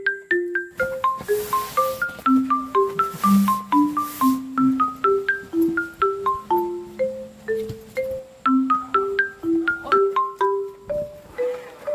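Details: A bright marimba and glockenspiel melody of short, bouncing notes carries a cheerful tune throughout.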